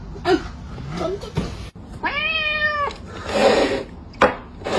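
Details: A cat caught stealing food gives one drawn-out meow of about a second, level, then dropping at the end. Thumps, rustles and short clattering noises come before and after it.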